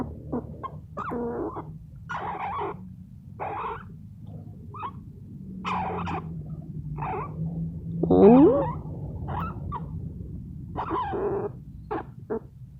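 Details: Pet rescue squirrel, sleepy while being petted, makes soft repeated chattering and muttering calls roughly every second, brief nasal bursts with one louder rising squeak near the middle, over a low steady room hum.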